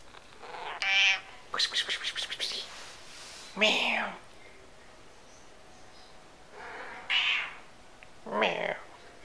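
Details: Noisy domestic cat giving several separate arched meows spaced a few seconds apart, with a burst of rapid clicking or chattering sounds between them and a quiet background hiss.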